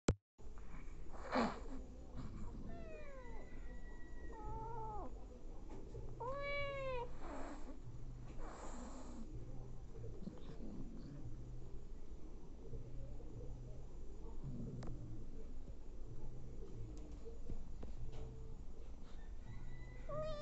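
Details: Domestic cats, a nursing mother feeding hungry abandoned kittens: several short high arched mews scattered through, some in quick runs of three or four, over a steady low rumble and soft pulsing background.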